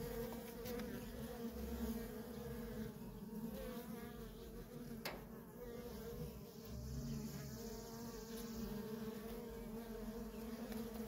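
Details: Steady deep drone of worker honey bees constantly flying at a feral colony, with a sharp tap around five seconds and a low thud-like swell near seven.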